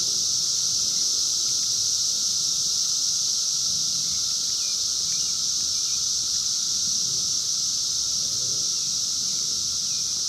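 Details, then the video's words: Steady high-pitched droning chorus of 17-year Brood X periodical cicadas in the wild during their 2021 emergence, phone-recorded; the wall of sound never breaks, with a soft lower hum beneath it. "sounds of 17 Year Brood X Cicadas 2021 in the wild"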